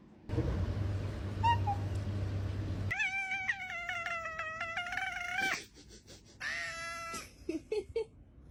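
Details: Cat giving a long, strained meow with rich harmonics and a wavering pitch for about two and a half seconds, then a shorter rising meow and a few soft clicks after a quiet pause.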